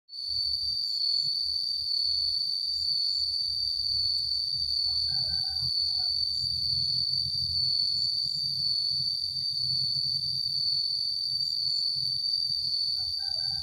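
A cicada gives a steady, high, ringing drone that holds without a break.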